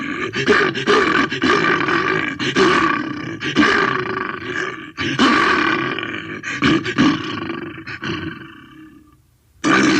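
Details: Bear roaring: a run of loud, rough, growling roars with brief breaks between bursts, fading out near the end before one last abrupt roar starts.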